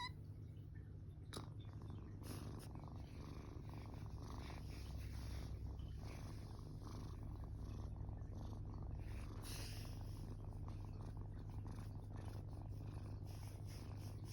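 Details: Sleeping rescued tortoiseshell kitten, 21 days after being taken in, lying belly-up with paws over its head; a continuous low purr hums evenly from start to finish with faint rustles.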